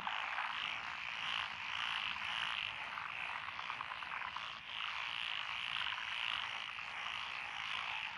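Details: Night-style paddy soundscape from Echizen, Fukui, Japan, 12 June 2021, where tree frogs, pond frogs and wrinkled frogs call among lotus fields. Bright, thick chorus of overlapping rapid croaks swelling and fading, nearly unbroken.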